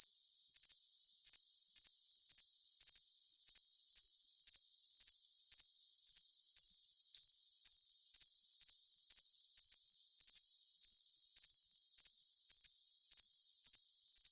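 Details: Cricket sound for tinnitus masking, with rhythmic shrill chirps repeating about twice a second over a constant high ringing tone. A faint upper shimmer tracks each pulse, and there are no low sounds.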